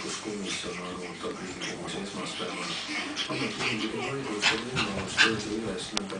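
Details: Pekingese mother teaching her two-month-old puppies to play in Tallinn, Estonia; a steady run of high whines, yips and little growly squeaks from the playing dogs, with some human voices in the background.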